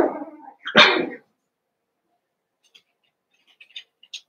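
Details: Cavalier King Charles Spaniel puppies from Daisy's and Robin's litters, merged into a group of eight, let out a brief whine and one sharp bark, then faint high squeaks after a pause.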